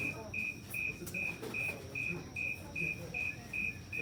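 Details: A snowy tree cricket gives steady, high, pure chirps, evenly spaced at about two and a half per second; its chirp rate speeds up as the temperature gets warmer.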